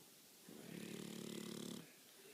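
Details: A sleeping male pet pug snoring indoors: one long, steady snore of about a second and a half with a rough, buzzy low drone and a faint hiss above it, rising and then cutting off sharply, in a quiet room.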